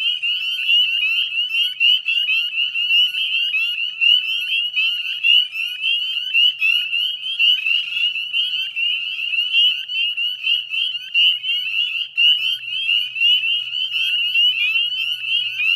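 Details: Northern spring peeper chorus, West Chezzetcook wetlands, Nova Scotia, dusk on 18 May 2020: a relentless high piping of countless frogs, individual rising peeps close by over a ringing background, faint low hum late on.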